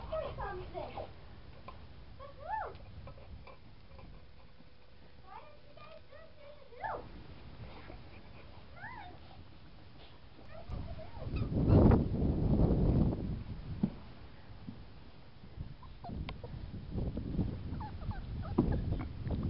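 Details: Seven-week-old Boxer puppies giving short high whines, each a thin arching tone that rises then falls, a few seconds apart. One steady flat tone runs between them. Human voices and indoor shuffling are heard around the calls.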